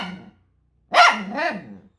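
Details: Six-year-old pet poodle barking back at its owner indoors after being teased as ugly: one loud, sharp bark followed by a second, softer falling yelp, with a low growly lead-in at the start.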